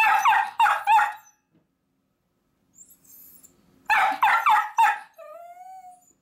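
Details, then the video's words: Miniature dachshunds barking to be taken along as their owner heads out to work: a quick trio of sharp barks, a pause, another burst of three, then a thin, drawn-out whine. "ミニチュアダックスフンド 犬 鳴き声 私も行く！Miniature Dachshund dog barks I also go!"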